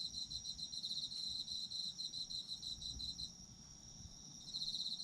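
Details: Autumn insect chorus for sleep: fast, evenly pulsed chirps ring out for about three seconds, fade to a steady high drone, then return at the end.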